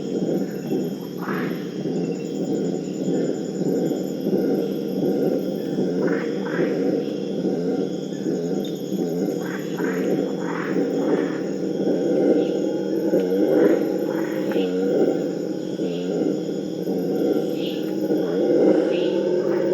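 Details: Purus red howler monkeys, Alouatta puruensis, wild in rainforest, howling in a chorus meant to prevent fighting between groups: a continuous deep roaring drone with rough, pulsing grunts throughout. Steady high insect whines run in the background.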